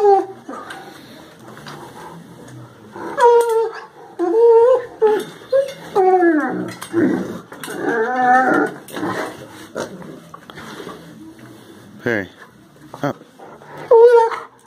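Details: Great Dane named Perry playing at work with another dog, Zeus, who teases him with a toy; a run of high whining yelps and harmonic whimpers, rising and bending, several loud bursts, with faint voices behind.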